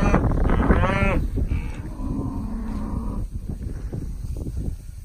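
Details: Bred cattle for sale, a mixed herd of Brangus, Beefmaster, Charolais and crossbred cows and pairs, aged four years to missing teeth. One brief, rising, harmonic moo opens the recording, then low rumbling noise fills the remainder.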